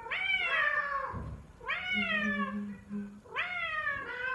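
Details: F4 Silver Savannah male named Sittingpretty Solmonath calling like a lion indoors: three long harmonic meow-like cries, each rising then sliding downward, about one every 1.6 seconds, with a low steady hum beneath.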